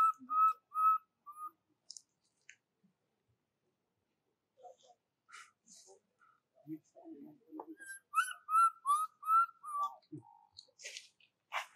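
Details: A baby monkey cries for its mother in short, plaintive whistled notes, pausing between bursts, and keeps calling until it falls asleep.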